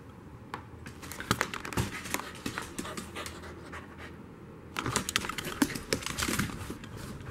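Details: Corgi panting during a chasing game, recorded from dog height while following it around; quick, rhythmic breathy huffs with scattered tapping and clicking sounds, growing busier and louder toward the end.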